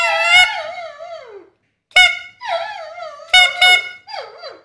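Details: Domestic dog howling back at a whistle. Bright, steady whistle notes alternate with the dog's quavering, downward-gliding howls, several overlapping the blasts, with short silent gaps between.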